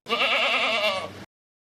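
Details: A goat gives one drawn-out quavering bleat, strong and buzzy with a trembling pitch, cutting off cleanly after just over a second; part of a children's farm animal sounds sequence.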